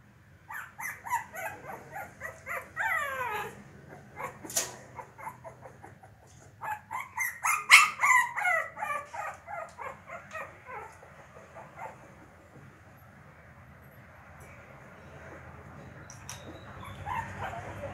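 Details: Shih Tzu puppy Sandy struggling with a door to open it, making a string of short yips and falling whimpers, a louder barking cluster midway, then fading whines over a steady low background hum.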